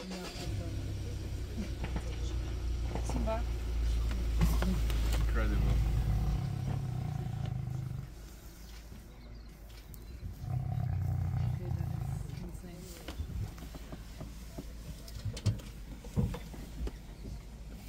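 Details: Big male lion and lioness in Kruger National Park at sunrise on safari; deep, low rumbling roars swell for several seconds, pause, then rise again, with people talking and a vehicle nearby.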